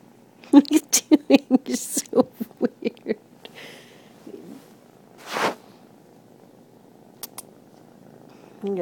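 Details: A 3-month-old Turkish Van kitten purrs in a quick run of throbbing pulses, with a person talking nearby.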